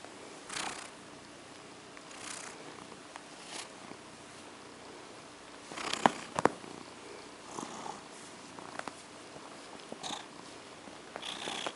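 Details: Female domestic cat purring softly while being petted to sleep indoors; faint, breathy swells of purring roughly every one and a half seconds, with sharp clicks and light rustling from the petting.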